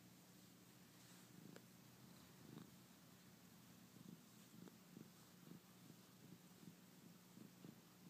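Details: Lynx point cat filmed in close-up, purring softly: a steady low hum with gentle throbbing pulses roughly twice a second, faint against a quiet hiss.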